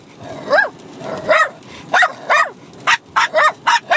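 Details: A six-month-old Bichon Frise puppy and an adult dog trade barks during rough play-fighting; high, bending yaps sound about every half second, with tones sliding up and down.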